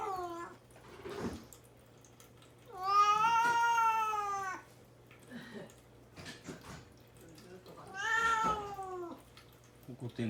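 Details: Mame Daifuku, a cat shut in a cage while fasting before neutering, lets out two long, loud, plaintive meows several seconds apart, the first nearly two seconds, with a brief softer mew at the start and clicks between.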